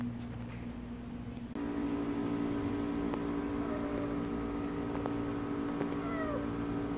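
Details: Kkamangi, a stray cat, healthy during sweltering summer heat, gives a few faint, short downward-sliding meows near the end, over a steady low mechanical hum and constant background noise.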